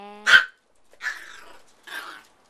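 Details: Tiny AKC micro teacup poodles from Alabama, living in Hong Kong, from the Swamp Rats and Velvet Touch lines. A clear ringing yip opens, followed by two rougher, breathy barks about one second apart, indoors.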